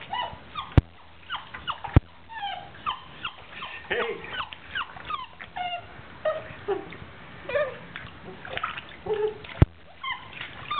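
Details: A 9-week-old Basset Hound puppy being bathed gives a run of high, thin whimpers and whines over splashing water.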